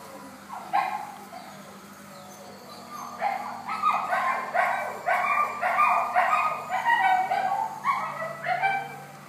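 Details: Yorkshire Terrier toy dogs yapping in a rapid, irregular run of high, sharp barks, roughly two per second, starting after a short pause and continuing to the end, over a faint steady hum.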